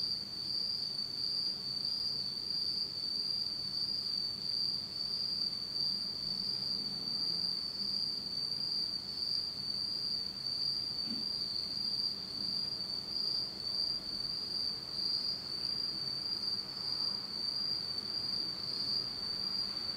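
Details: Insects calling through a pitch-dark autumn night in Japan, a constant piercing high trill holding steady for the whole stretch, with slight rhythmic throbbing and a quiet low background murmur.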